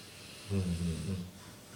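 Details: Snoring from a female dog that is awake rather than asleep as usual: a low, wavering rumble of under a second that pulses a few times within the breath, in a quiet indoor setting.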